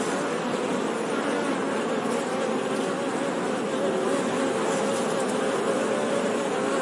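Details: Honey bee buzzing: a steady, dense drone of many overlapping low humming tones that holds constant throughout, with no pauses and no other clear sounds.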